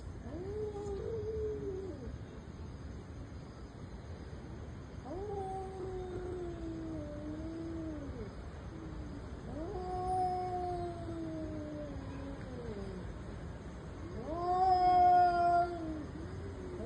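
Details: Domestic cats in an intense fight, yowling in long drawn-out wails that rise then slowly sag in pitch, four howls spaced a few seconds apart, the last one louder and harsher, over a steady low background hiss.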